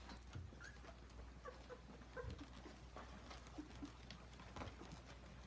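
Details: Ten-day-old German Shorthaired Pointer puppies give faint, brief high squeaks and whimpers, short tonal notes scattered through the clip over a steady low hum and soft rustling.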